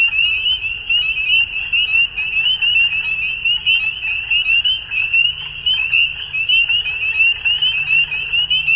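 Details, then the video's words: In Ontario, Canada, frogs call at dusk in spring, a thick wall of high, quick peeps and trills from many animals, pulsing steadily, with a faint low hum beneath. "Frog Sounds At Dusk"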